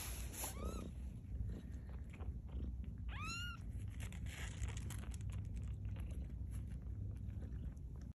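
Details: Two-week-old kittens of Maude at Baystate Animal Cooperative, learning to walk; two high, thin, arching mews, one brief near the start and a fuller one about three seconds in, over steady low rumble and soft rustling.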